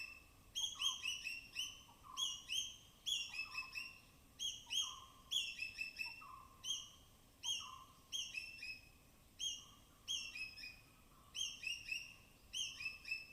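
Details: Native forest squirrels foraging on rain-soaked branches in the dense evergreen canopy of Tamhini Reserve Forest, Western Ghats, give sharp, high-pitched chirps and cautious alarm chatters in quick repeated bursts, each with a fainter lower note beneath.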